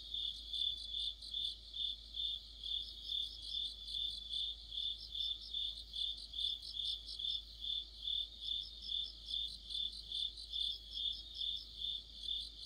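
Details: Autumn insect chorus led by crickets, a bright continuous high-pitched trill with pulsing chirp bursts roughly every half second, several insects overlapping, quiet low rumble beneath.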